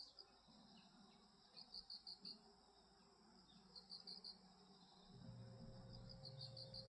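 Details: Grass insects in seasonal change, trilling high chirps in clusters of several rapid pulses, with a low droning hum rising in the background toward the end.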